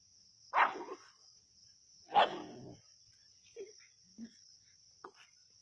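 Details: Native dogs on a snake hunt at Keezhadi: two loud, rough barks about a second and a half apart, followed by a few faint, short low yelps, with a steady high electronic tone underneath.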